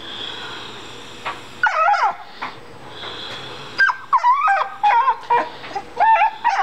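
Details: A female pet dog cries over a big rock she found in the yard. Her whimpers bend up and down, coming in quick bursts that grow more frequent toward the end, over a faint steady hum.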